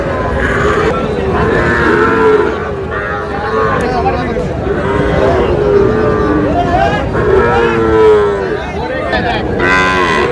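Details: Sahiwal bull calves about four to five months old at a cattle market, bought by a farmer from Chandpur on 25 June; drawn-out mid-pitched moos recur among constant chatter of men bargaining over prices.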